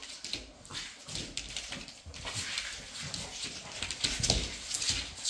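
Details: Playful Labrador Retriever females romping together, producing harsh, noisy snorts and grumbling bursts that grow louder toward the end, over constant rustling movement.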